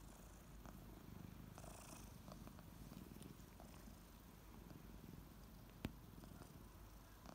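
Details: Morning purring from two waking kittens named Ariel and Bear: a soft, even, low-pitched vibrating drone, with a few short lick sounds and one sharp tap near the end.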